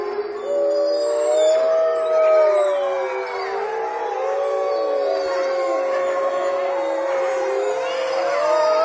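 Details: Several gray wolves howl together in Olomouc on 29 August 2013, long sustained tones weaving and sliding over one another.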